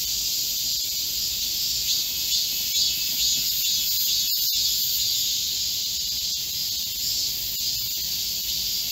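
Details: Many Korean cicadas in a lush forest in high summer heat, 25 July 2024, make a continuous high, sizzling buzz; a couple of brief clicks break through near the middle.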